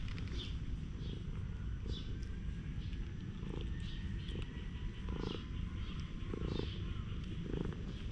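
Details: Stray cat in a community of street cats that fight and get petted on a bench; low rumbling pulses repeat roughly every second, while small birds chirp higher up over steady outdoor background noise.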